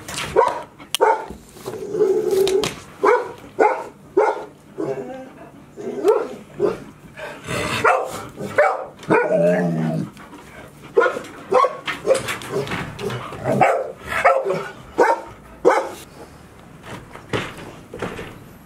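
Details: Indoors at Ain Village on 30 September 2018, five 158-day-old Golden Retriever puppies stay inside all day ahead of Typhoon No. 24; choppy bursts of sharp barks and yelps repeat throughout, with a brief human voice partway through.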